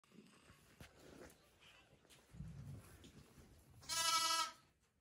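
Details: Young male lamb kept at home in a pole barn, usually quiet, calling to its owner for milk; one loud, harmonic, wavering bleat near the end after low rumbling and faint background noises.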